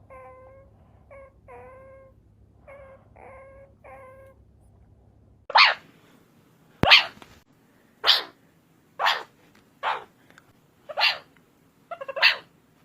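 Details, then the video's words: Meerkat calls: a few short groups of harmonic, squeaky chirps over a low steady hum, followed by a run of harsh, loud, noisy barks spaced about once a second. "MEERCAT SOUND EFFECT 미어캣 울음소리"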